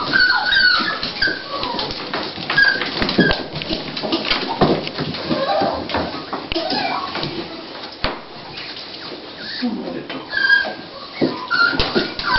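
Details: Toy Pinscher female named Dolly whimpering indoors at the onset of giving birth to puppies; thin high squeaky whines come and go among rustling and clicks, with people talking quietly nearby.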